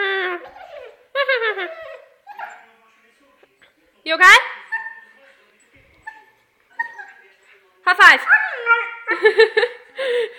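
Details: Siberian husky singing in choppy bursts of whines, yelps and short bending tonal cries, uneven in rhythm with pauses between outbursts.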